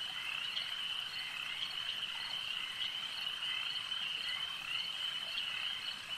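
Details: Many frogs croaking together at a lake, forming a constant high buzzing trill, with brief louder accents every second or so and no voices or engines.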